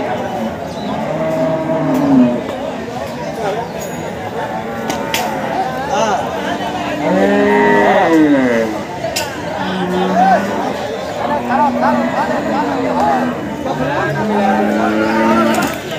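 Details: Water buffalo at a livestock market (pashu mandi) that has given birth to a female calf in difficult conditions; low, drawn-out moos rise and fall several times over steady crowd chatter and human voices.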